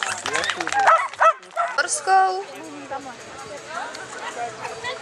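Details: Netty z Haliparku, a Chinese Crested dog, runs a beginners' agility course in Mladá Boleslav, 9 May 2009. A quick volley of shrill barks opens, then fades into people talking and murmuring spectators.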